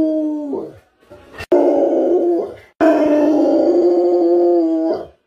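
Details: Dog, an American bully, howling while holding its food bowl in its mouth: long, steady, tonal wails with rich harmonics, a short howl, then two sustained drawn-out notes separated by a sharp click and brief pauses.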